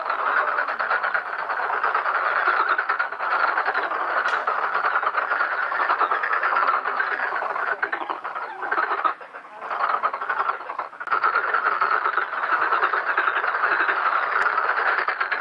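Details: Countless black-spotted pond frogs croak together in a pond during mating and egg-laying, forming a dense, continuous rasping chorus that dips briefly near the ninth second before swelling back to full strength.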